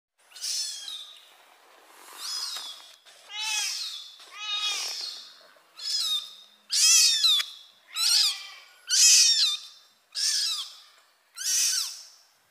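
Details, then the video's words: Mother cat carrying a kitten in her mouth; a series of high, thin, harmonic mewing calls, about ten in all, repeated roughly every second and growing louder toward the end, with a quiet background. "Mom Cat Carry Kitten By Mouth"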